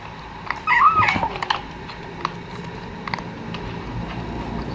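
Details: While eating fish alone and keeping its food from its mother, a hungry cat gives one short, bright meow that quickly rises then falls. Quiet clicks and faint background noise follow.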